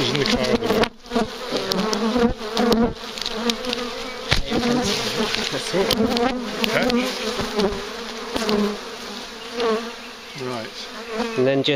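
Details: Big, very active swarm of bees found near a farm and being collected: a dense, continuous droning buzz with steady low humming bands, mixed with handling knocks and people speaking Dutch in the background.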